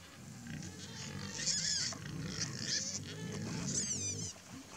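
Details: A family of hungry wild boar (Sus scrofa) grunting low and steadily, with shrill, wavering squeals breaking in over the top.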